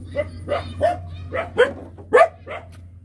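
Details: Hungry small puppies yelp while being fed, their mother also nursing them: six short, sharp, harmonic-rich yips about every half second, some rising then falling, over a steady low hum.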